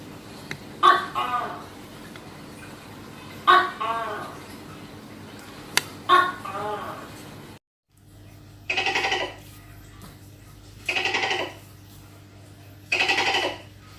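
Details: Tokay gecko filmed close up while hunting prey: three two-part calls, a sharp click-like onset followed by a harmonic, bending syllable, about two and a half seconds apart, then a brief silence and three broad noisy bursts.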